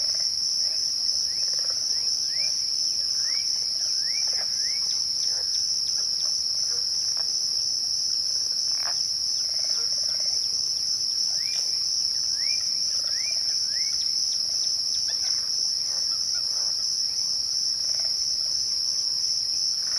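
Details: A continuous high-pitched cricket trill at twilight runs unchanged throughout, accompanied by a background bird giving repeated rising whistled notes in small bursts.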